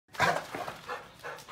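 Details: Chow Chow, described as losing his mind, giving one short harsh bark followed by softer grumbling noises, in a house as a woman asks what he is doing.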